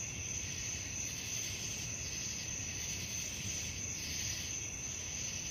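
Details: Crickets at night keep up a continuous shrill tone with wavering, pulsed buzzing, while a dull low-pitched background noise runs the whole time.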